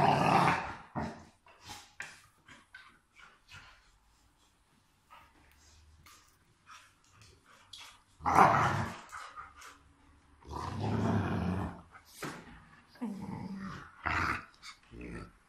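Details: Play time between Rottweilers Miley and Fiona: bursts of harsh, throaty growling and snorting come in uneven bouts, the loudest around the middle and toward the end, separated by quieter panting and shuffling.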